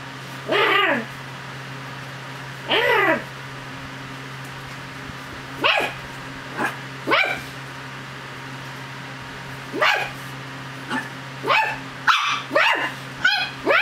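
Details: Chug, a pet dog, playing and fighting its owner's hand like a dog: about a dozen short yips and sharp play barks, sparse at first and then bunching into a rapid cluster, over a low steady hum indoors.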